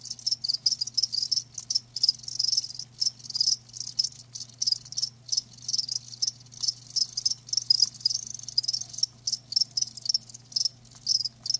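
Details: Live crickets in a natural sound recording: high, rapid pulsed chirping in short repeated bursts with small pauses between, several insects overlapping, and a quiet low hum in the background.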